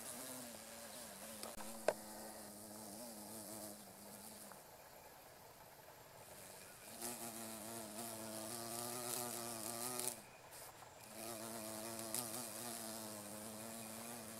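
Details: Two female carpenter bees (Xylocopa appendiculata circumvolans) buzz-pollinating meadow-rue flowers along a railway beside rice fields in Japan, mid-August 2013: low droning buzzes with stacked harmonics, several bursts of a few seconds each, separated by quieter gaps.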